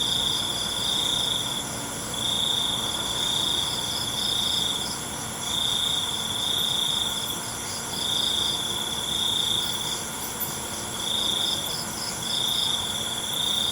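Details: Night crickets: a chorus of high, buzzy trills coming in pulses of about a second, nine or so in a row, over a constant high-pitched insect hum.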